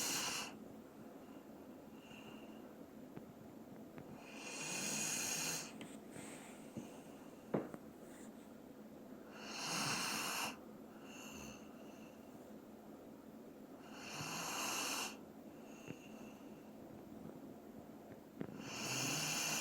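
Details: ['Dobermann named Doran asleep indoors, snoring: slow breathy rasping snores roughly every five seconds, each a broad hissing burst about a second long, with quiet gaps between in a small room.']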